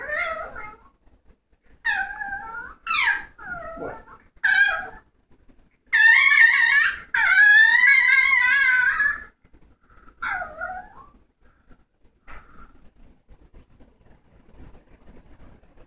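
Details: Dog making funny vocal noises indoors: short wavering whines and yelps, then a longer warbling howl-like moan around six to nine seconds, followed by a few fading whimpers.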